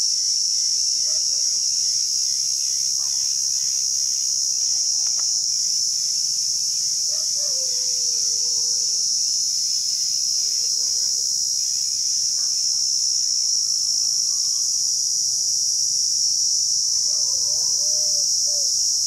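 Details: A cicada in Rajsamand, Rajasthan, India gives a high, steady, buzzing drone without a break, with faint bird notes underneath.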